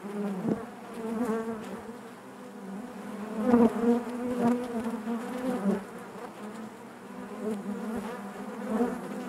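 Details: Inside a honey bee hive, many bees produce a continuous layered drone, a low hum with bright harmonics above, rising in intensity around the middle with short louder buzzes from nearby insects.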